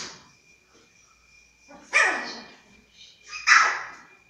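A Siberian Husky puppy gives two short, bright yelping barks about a second and a half apart.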